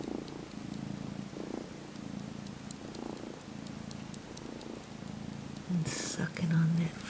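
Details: Sleepy 12-week-old house kitten purring as he mock nurses, sucking a faux fur shag blanket and kneading with his paws; continuous low rumble pulsing with breathing, then a woman's soft voice near the end.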